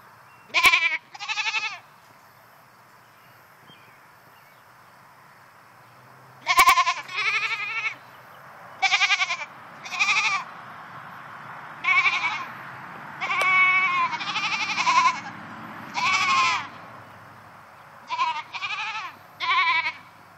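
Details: Goats left alone in a new fence, unhappy at being by themselves, bleating repeatedly; wavering, quavering cries in short bursts with pauses, several overlapping voices, a faint low hum underneath.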